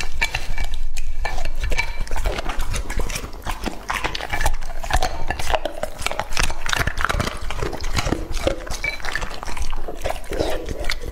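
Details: Lucky, a male English Labrador Retriever two and a half years old, chomps through raw meat. Rapid sticky chewing and smacking bursts repeat without pause, loudest at the start.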